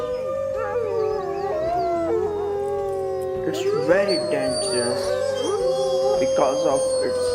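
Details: Several wolves howl together in a chorus. Long sustained tones cross and waver, some sliding up and down, with yips on higher overlapping voices. Steady background music underneath.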